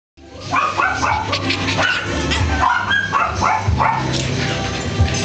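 A French Bulldog gives quick, high yapping barks, several each second, over faint background music.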